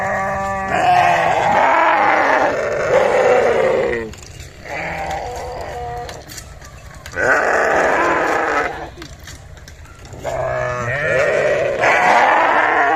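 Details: Bleating sheep, several long quavering harmonic calls in succession, separated by short quieter gaps with low murmur and hum underneath.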